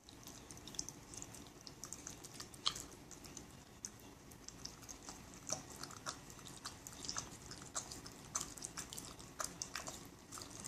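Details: Shiba Inu named Aoi, a family pet, eating sherbet, a favourite summer treat, indoors; steady wet chewing and licking with crisp clicking bites scattered through the recording.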